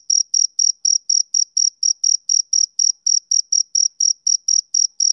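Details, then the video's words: A male cricket chirps in a brisk, even rhythm: piercing short notes about four per second, each with a thin higher ring, over an otherwise silent background. "Cricket Chirping Sound Effect"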